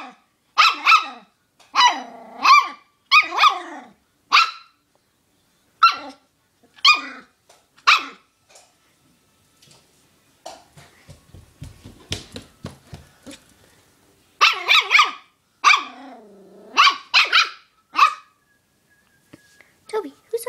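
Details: Young dog barking loudly at his chew toy, a long run of sharp barks in bursts, some rising whines mixed in, with a softer rapid patter in the middle and a person talking.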